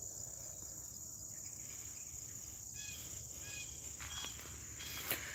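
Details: Outdoors in West Tennessee at morning, crickets keep up a constant high-pitched trill, joined midway by a few short bright chirps and a sharp tap near the end.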